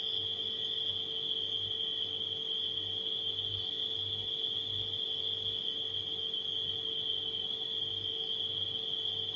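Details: Unwavering high cricket trill from nighttime crickets, layered over the steady mechanical hum of a refrigerator.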